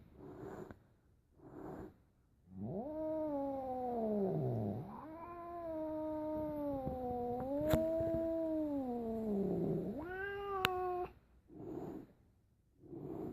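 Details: Cat, apparently upset, giving long drawn-out wailing yowls that sag, swell and rise in pitch, several seconds each, broken by short low grumbling growls; a woman asks what is wrong.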